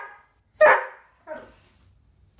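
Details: Female Doberman in obedience training barks on a spoken command to speak: one loud, sharp bark followed by a softer, shorter second bark about 0.7 seconds later, with a man's voice giving commands and quiet gaps between.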